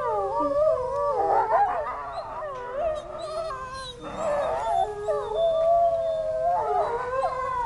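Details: Several zoo wolves howl together after hearing distant sirens, long wavering tones sliding up and down over one another.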